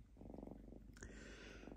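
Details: Lynx named Diva, unusually calm at home while shredding paper towel, purring softly: a low, steady pulsed rumble through the first second, then a sharp tearing rustle of paper breaking in over continued faint purring.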